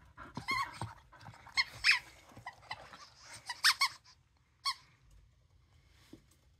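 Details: Dosa, a pet dog, lets out sharp, high-pitched squeaky barks in uneven bursts, a cluster early, then a few loud isolated yelps, and a faint final squeak after a quiet pause.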